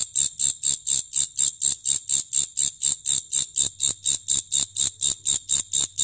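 A grasshopper makes a steady series of dry, hissing rasps, about three every second.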